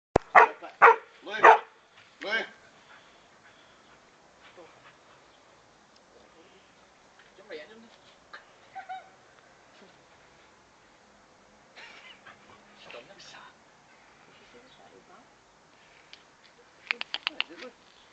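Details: Dog playing with a frog, giving a burst of sharp barks at the start, then scattered quieter yelps and whines, and another short bark burst near the end, with silence between.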